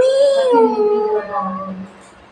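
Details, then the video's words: A cat gives one drawn-out, wailing meow that starts level, then bends slightly down and trails off over about two seconds, with a faint low hum underneath. "meow meow"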